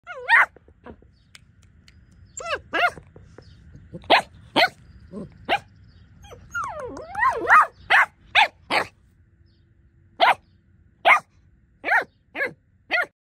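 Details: Bernese Mountain Dog puppy giving short, high-pitched yappy barks and squeaky whines, spaced irregularly at first, then repeated roughly every second toward the end.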